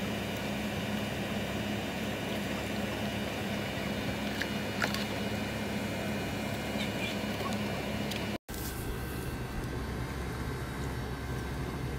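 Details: Steady broadband hum like a running engine or appliance, broken by a brief dropout near the end, with no animal sound.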